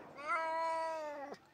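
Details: A male Tonkinese cat gives a long, drawn-out whining, complaining meow that holds steady and then drops at the end. He complained the whole short car trip to and from the vet for his annual jabs.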